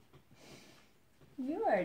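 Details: Shar Pei named Cain, jealous when its owner touches her boyfriend, gives a short rising then falling whine at the end, after soft indoor sniffing and quiet background; a woman speaks around it.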